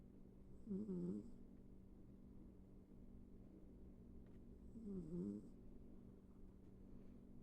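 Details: Pet cat sleeping indoors and snoring softly: two low, rumbling breaths about four seconds apart, each with a faint higher wheezy edge, over quiet room hum.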